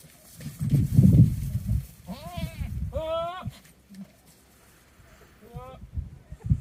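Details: Goats in the rut with one in heat, near wildfires: a burst of low rumbling handling noise, then a rising-and-falling bleat, a strong wavering bleat, and a shorter bleat later.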